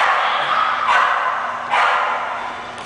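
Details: English Bulldog giving two short, rough barks nearly a second apart over a low steady background hum.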